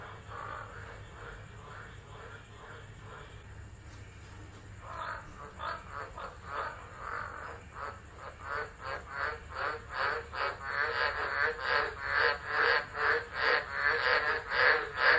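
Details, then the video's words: Tropical frogs calling during a tropical storm at Driver, Northern Territory, Australia, in December, recorded by a phone left on the ground; a chorus of harsh, pulsed croaks that starts faint and builds into loud calls about two per second over low background rumble. "Tropical Storm Frogs Singing"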